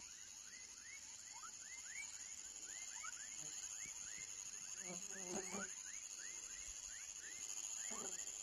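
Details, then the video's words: Many baby frogs chirping together, with rapid overlapping upward-sweeping chirps about four per second against a constant high-pitched insect drone; a brief lower harmonic sound, possibly a voice, interrupts midway. "Som de Rã filhote / Baby frog sound"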